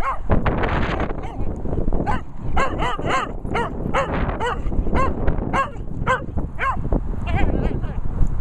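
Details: Benji, Daisy, Millie and the Vizsla Archie bark outdoors. Sharp, repeated yaps come in a near-steady run, roughly every half second in places, over windy rustling with a brief voice early on.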